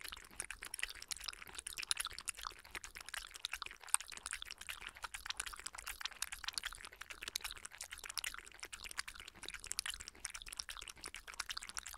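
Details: Steady wet lapping and crisp clicking noises run continuously for twelve seconds, like drinking and chewing close to the microphone, with no animal call heard.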